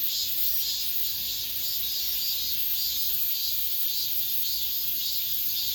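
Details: Late-summer cicada chorus within an apartment complex, the last of the year: continuous shrill buzzing carried high, throbbing in gentle regular surges nearly twice per second, over quiet low background rumble.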